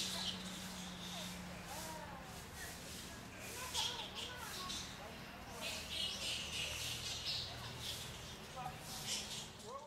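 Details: A colony of straw-coloured fruit bats (Eidolon helvum) in Gisenyi, Rwanda, March 2013, chattering in short, squeaky, overlapping calls over a constant hiss.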